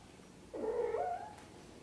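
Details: Mother cat gently caring for her kittens utters one drawn-out meow that starts low and rises at the end, lasting under a second, against a quiet background.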